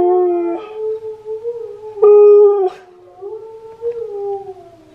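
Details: Steel the husky sings while Key the husky reacts. Wavering, sliding howls rise and dip in pitch, broken by a short louder burst in the middle, then ease into a softer falling tone.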